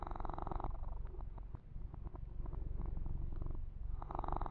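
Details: Kitten named Yumak purring contentedly during a massage, a low rhythmic rumble around three pulses a second, framed at start and end by louder scratchy grooming strokes across the fur.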